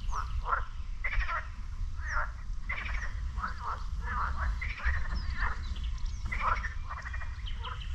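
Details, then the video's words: Frogs in a lake beside the beach at Sinemorets croak together one morning in May 2022, rapid pulsed rasping calls repeating about twice a second from several animals, faint bird chirps above and continuous low-frequency rumble. "Frog Lake in Sinemorets"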